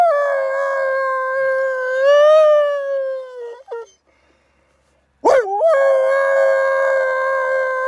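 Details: At a Spanish sanctuary, a wolf sings back and forth with its keepers: a sustained, smooth howl that swells and falls, a brief break, then another howl starting with a steep upward slide before holding steady.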